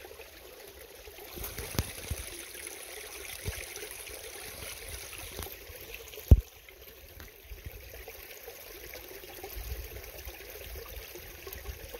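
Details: Gentle stream water trickles steadily, with one sharp knock partway through and no animal calls.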